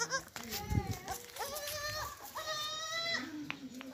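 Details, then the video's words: Baby goats bleating, kept as family animals: a few drawn-out, wavering bleats with a clear tonal ring, one after another, while people talk in the background. "Our Baby Goats"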